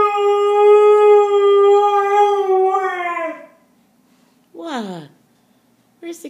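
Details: Badger, a pet dog, howls a little while looking for his friend indoors: one steady, mid-pitched howl held about three seconds, then sagging downward, followed after a pause by a short falling whine.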